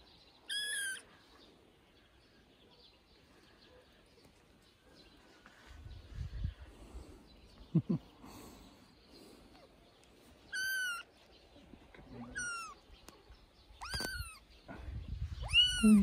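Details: Three-week-old kitten Johnny meowing loudly while playing on dad's shoulder: five piercing, high meows at irregular intervals, several bending downward in pitch, separated by quiet stretches with low rumbling handling noise.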